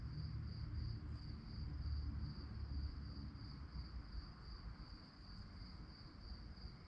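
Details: A night-time cricket chorus: a thin, rapidly pulsed high trill continues without pause, while a heavier low-frequency rumble swells and fades beneath it.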